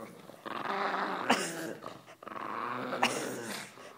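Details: Tumbleweed the pug growling during tug of war whenever a shepherd dog approaches, indoors; two sustained, rough harmonic growls about one and a half seconds each, separated by a brief breath, with sharp clicks of play between.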